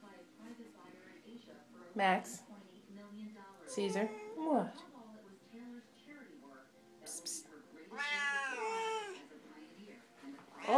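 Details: Two chatty Siamese cats calling together: a string of harmonic meows, chirps and yowls, some sliding sharply up or down, ending in a long wavering howl, while a woman talks and asks what the matter is.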